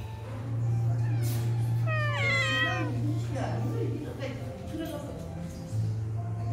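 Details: Rescued cats at a cat cafe in Hongdae: one clear meow that rises, then falls, near the middle, over a steady low hum of background music and people talking.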